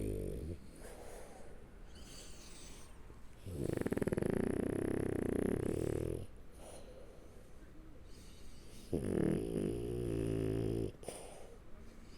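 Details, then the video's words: French Bulldog named Shturm asleep on its back, snoring loudly in two long rasping, rumbling breaths of about two seconds each, separated by quieter wheezy breathing and soft snuffling. "Французский бульдог Штурм Спит, Храпит, Сопит и Пукает лёжа на Спине"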